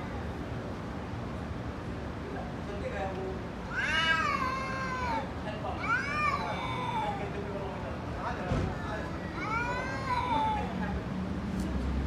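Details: Angry fighting cat crying out in several harsh, rising-then-falling meows in quick bursts, with some human speech mixed into the background hum.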